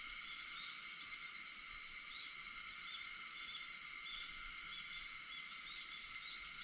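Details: Cicadas singing at 4:50 in the morning on 4 August: a dense, steady shrill drone spread over a wide high band, layered with even whining tones, unbroken and unchanging throughout.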